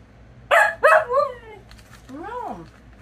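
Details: Luna, a Siberian Husky, talking back in a mouthy way: two sharp harsh yelps followed by a falling drawn whine, then a rising-and-falling wavering howl-like moan, with a low background hum.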